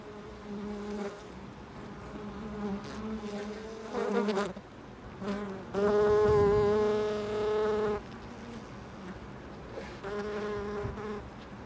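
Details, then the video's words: Bees at a loading dock buzz in loud harmonic drones that swell as they fly close, with one long rising-and-falling pass in the middle and quieter hum between passes. "Bees at the loading dock"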